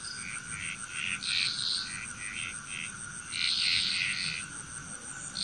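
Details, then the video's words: Frog chorus from Bali, Indonesia, with quick repeated croaking notes building into loud overlapping clusters, an even high insect whine continuing throughout. "Frog Chrous"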